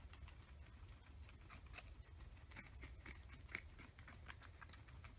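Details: Two pet guinea pigs, Oreo and Buttercup, feast on an oversized cucumber over three days, hiding under fleece blankets between bites; soft, crisp crunching and nibbling clicks come in irregular bursts throughout, with a low indoor room hum beneath.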